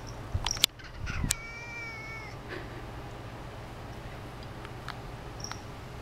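A Siamese cat gives a single clear, high meow that holds steady, then fades slightly.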